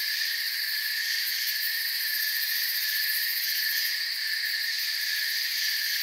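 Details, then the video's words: A mass of crickets keeps up a constant, high, ringing trill in a forest, the overlapping tones staying even and unbroken from start to finish. "Forest Sounds and Crickets"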